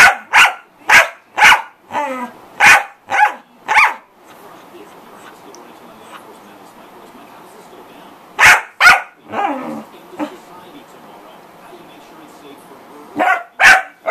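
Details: A corgi barks loudly in quick, sharp bursts, about two per second, for four seconds. A quiet pause follows, then another short run of barks and a final pair near the end.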